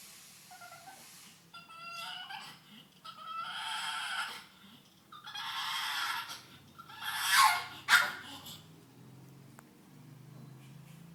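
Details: Pug named Cali, a female pet dog indoors, making odd noises while her owner laughs at her, which she dislikes; bursts of snorting, grunting and whiny squeals come in uneven clusters, with louder harsh sounds near the end.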